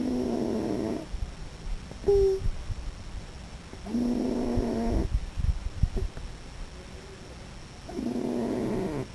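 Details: Raccoon asleep and snoring, giving long rough buzzing exhalations of about a second each, separated by quiet gaps and one brief high squeak, in a quiet room.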